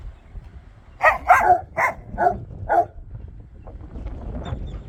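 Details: Dogs barking at bare ground: five loud, rough barks in quick succession over about two seconds, then quiet background rumble.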